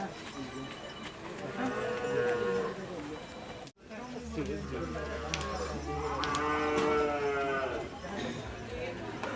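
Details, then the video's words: Agitated Madura race bull of the karapan sapi tradition, raging at practice at the Asemanis track, Pamekasan, East Java. Two long harmonic moos are heard, one before a brief dropout and a louder one after, over people talking and a low hum. "Karapan Sapi Besar Mengamuk Saat Latihan Di Lap Asemanis Pamekasan"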